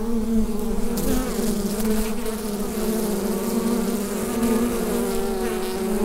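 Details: Hive of bees buzzing continuously, recorded on a USB microphone, a thick even hum holding a low warbling pitch with a higher layered overtone, loudness nearly constant throughout, a brief click near the start.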